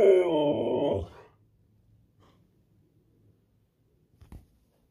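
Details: Siberian Husky (Canis lupus familiaris), roar.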